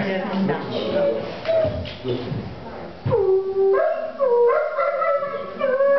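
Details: A wolf howls indoors in an art gallery in Verona, Italy, in November 2009, during an exhibition opening: a long, wavering howl that rises and falls after a stretch of murmuring voices.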